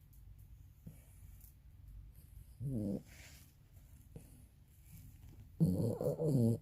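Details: Old 22-year-old Maltese dog snoring in its sleep, sounding like a person: two low, rough, rattling breaths, a short one and then a louder, longer one, separated by quiet room hiss.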